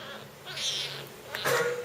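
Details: While being fed, a young jungle cat gives a soft breathy call, then a sharper, louder burst ending in a brief tonal squeak.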